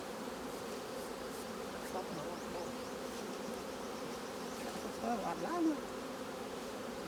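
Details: Continuous low drone of honey bees at an opened hive during honey harvest, steady throughout, with a short burst of nearby human speech in Khmer toward the end.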